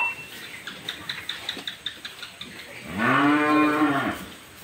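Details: A cow calving suddenly in the dark of night moos once, a long, deep, drawn-out low lasting about a second and a half, preceded by a series of light rhythmic clicks and taps.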